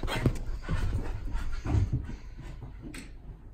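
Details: Luna the pit bull, worked up with zoomies before bedtime in a small room, gives low throaty huffs and grunts mixed with breathy panting. Three or four stronger pulses come in the first two seconds.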